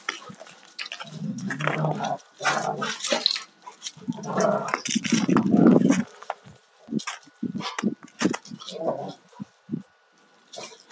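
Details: Alaskan Malamutes, a 2-year-old male with a 4.5-year-old female, fight-playing; long low rumbling growls run for several seconds, then short choppy grunts and growls come in quick succession.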